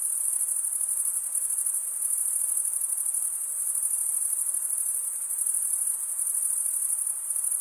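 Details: Crickets keep up a relentless high, thin trilling, steady in pitch with small swells in loudness and no other sounds.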